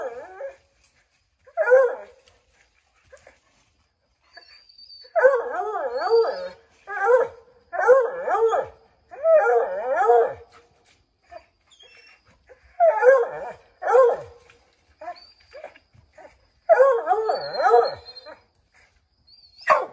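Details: Five Redbone Coonhounds treeing a chipmunk in an oak tree, trying to drive it out; bursts of overlapping baying barks and wavering howls come in clusters every second or two, separated by short quiet gaps.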